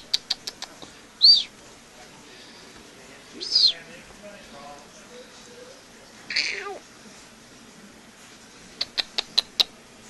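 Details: Treeing Walker Coonhound pup, sired by All Grand Track Lizard out of Dog Hill Katy, playing with a coon tail: a few short high squeals spaced seconds apart, then a burst of quick clicking taps at the end, with soft coaxing human voices.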